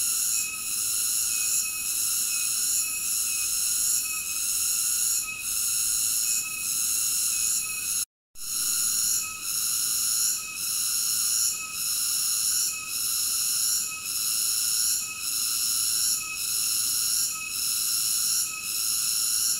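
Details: Cicada singing in a steady, high, buzzy drone that swells and dips roughly once a second, with a brief total silence near the eighth second; no other animals or voices.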